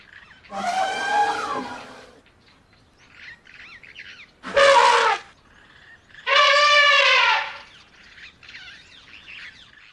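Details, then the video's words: Three brassy, quavering trumpets from an Asian elephant, the middle one short and sharp, the others longer with pitch sliding downward; faint high bird chirps sound in the quiet gaps. "Som do Elefante / Som de Elefante Efeito Sonoro | Elephant Sound | Elephas Maximus"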